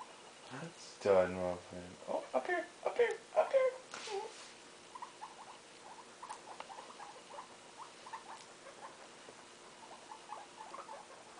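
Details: Indoor guinea pig family with pups one day old. A person speaks at first, then a long, even train of quick, soft squeaky pulses continues to the end.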